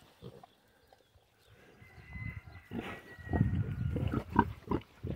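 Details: A group of young piglets, curious and close by. Soft scattered grunts swell into a dense run of low, rapid grunting, with a thin, drawn-out high squeal running above them.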